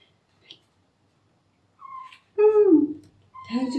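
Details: Terra, a rescued male kitten, complains with meowing during his first bath. A brief thin cry comes first, then one loud, drawn-out meow that slides downward. A woman's soothing voice follows in a quiet indoor room.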